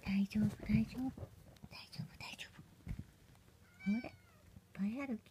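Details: Munchkin kitten, one of Momo's babies, 24 days old, indoors: two short rising-then-falling mews near the end, after low hummed tones and soft whispered speech at the start.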